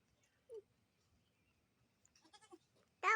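A goat gives short, wavering bleats, ending in one loud, harsh bleat.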